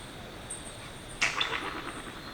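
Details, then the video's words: Yellow-bellied glider (Petaurus australis) in the Australian bush at night, giving a sudden harsh shriek that breaks into a rough gurgling rattle lasting about a second, over a faint steady high insect hum. "Yellow-bellied Glider Call - Strange shrieks & gurgling sounds"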